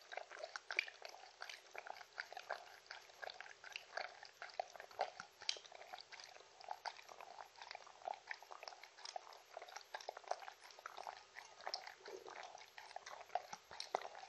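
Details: Mindy, a pet Shetland Sheepdog, eating treats and drinking, no talking: quick, overlapping wet smacks and crunchy bites, rising and falling in loudness throughout.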